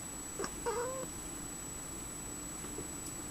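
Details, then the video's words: Domestic cat talking to birds, giving one short thin call followed by a drawn-out, wavering, slightly rising mew of about half a second, then quiet room hiss with faint clicks. "My cat talking to the birds"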